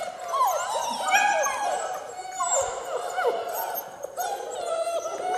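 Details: Several six-week-old German Shepherd puppies of Von Forell breeding, line bred on Grim, whine and yelp on a slippery floor for their first time, their cries bending up and down in quick overlapping waves, fairly loud and clear.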